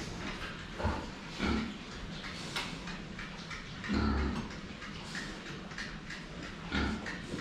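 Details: The Saigo-chans, pigs recorded head-on at their drinking spot, give brief low grunts at irregular intervals of one to three seconds amid wet slurping and clattering sounds.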